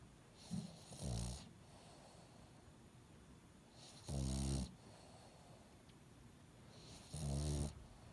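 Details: Snoring dog, nose still blocked after being ill: three low, rattling snores roughly every three seconds, each rasp lasting about half a second with breathy noise above, a faint earlier snuffle at the start.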